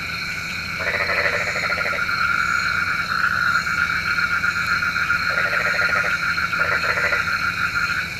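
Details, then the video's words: Night frog chorus, said to summon rain: three rattling, pulsed croak bursts, each roughly a second long, separated by pauses, set against a constant shrill background drone. "SUARA KODOK KATAK | Panggil Hujan"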